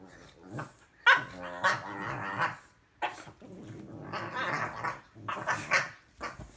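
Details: A 2-year-old female French bulldog squabbles with her 4-month-old English bulldog puppy brother, trading throaty grumbles, whiny yelps and short barks.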